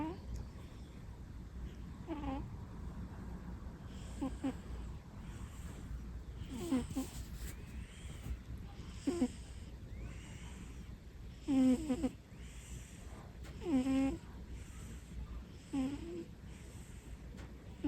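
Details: Pet cat asleep with its eyes open, snoring indoors: soft squeaky, whistling nasal snores with rising and falling pitch, repeating roughly every two seconds over a quiet, low background hum.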